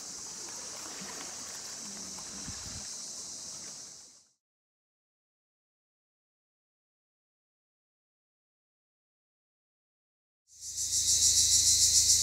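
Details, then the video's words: Cypriot black cicadas calling: a dense, steady high-pitched buzzing drone that fades out after about four seconds, followed by a gap of silence, then swells back in loudly with a pulsing, rasping trill near the end. "Cypriot black cicadas/zypriotische schwarze Zikaden"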